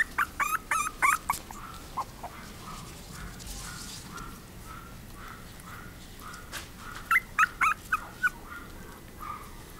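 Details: Chihuahua giving quick bursts of high, thin yelping whimpers at the start and again near seven seconds, with softer drawn whines between, in an otherwise quiet setting.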